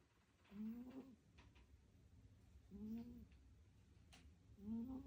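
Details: Sleeping house cat snoring softly: three faint, rising tonal snores spaced about two seconds apart over a low room hum, with an occasional faint click.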